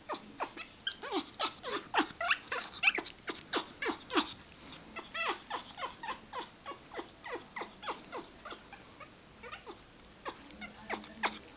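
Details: Pet dog, perhaps wanting to mate or simply happy, making odd sounds: a rapid, uneven stream of short high squeaks and chirps, roughly three per second, in a quiet room.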